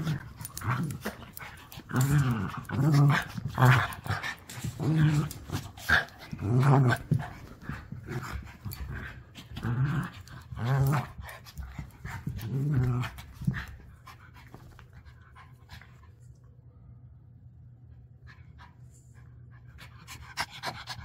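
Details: Dog, Winnie or Abrams, in play with a dog walker, giving low rumbling growl bursts roughly every second for about thirteen seconds before falling quiet, leaving only a steady low hum.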